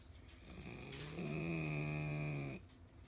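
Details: Aged pug dozing with eyes open lets out a single steady, rumbling snore lasting over a second, a low droning buzz with a faint whistling edge, then quiet breathing in a small room.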